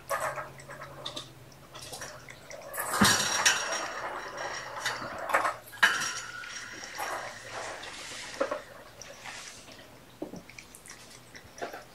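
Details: Kitchen clatter of dishes and cutlery with dripping water in a small room, and no animal sound heard.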